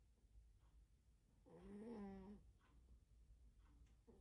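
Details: A dozing cat lets out a single loud, coarse, buzzy snore lasting nearly a second, surrounded by soft breathing and silence indoors.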